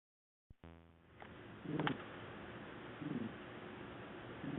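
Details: Qiudan, a black pet cat passed out asleep on the sofa, snoring loudly indoors: after a short click and rustle, low throaty voiced snores swell at about one-and-a-half-second intervals.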